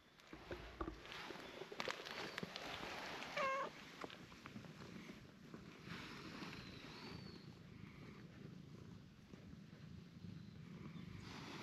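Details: Cream-colored cat that enjoys having its face rubbed and kicks in protest when its body is touched. A soft, low rumbling purr runs under steady background hiss, with a brief faint squeak near the middle and a thin high chirp later.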